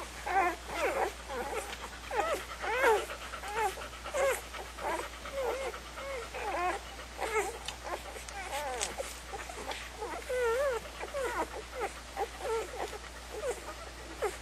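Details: Several small puppies squealing and whining together, overlapping high, bending, squeaky cries in a nearly continuous chorus, with soft snuffles between and a constant low electrical hum underneath.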